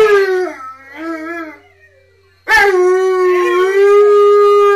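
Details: Three Siberian Huskies howling together: a falling howl trailing into a quieter wavering tail and near silence, then a strong, steady howl bursts in and is held to the end.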